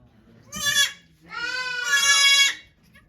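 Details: During Okayu's birth of two kids at Yoshigake farm, 3 May 2023, a goat gives two bright, harmonic bleats: a short one, then a long, steady, wavering cry lasting over a second.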